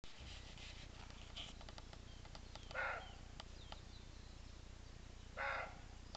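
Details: Roe deer barking: two short, harsh, hoarse barks about two and a half seconds apart, over faint background chirps and clicks from small birds.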